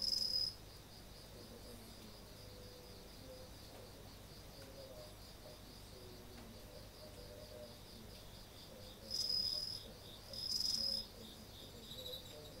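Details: Insects heard at night in front of a home's entrance on 30 August 2018, a hint of autumn in the air. Brief shrill trills open the clip and return twice later, over a steady, fast pulsing chirp chorus and low hum.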